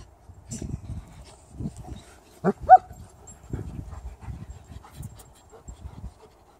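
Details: German Shepherd and Shiba Inu dogs playing together: soft, low rough puffs and huffs in short bursts about once a second, with two brief sharper yelps near the middle.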